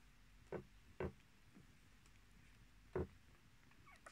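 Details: Short sharp yips from Miniature Australian Shepherd puppies in a litter of six with their mother: two brief yelps half a second apart, then a third after a two-second pause, over a low steady hum.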